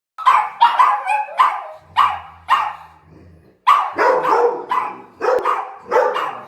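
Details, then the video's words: Several pet dogs, excited as their owner comes home indoors, bark and yelp in rapid bursts, short harsh barks tumbling over one another with a brief low rumble in between. "Dogs realise Daddy's Home"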